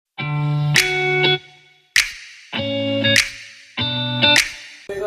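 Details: Plucked, bell-like musical notes sound in three short repeated phrases, separated by brief silences, with no animal voice.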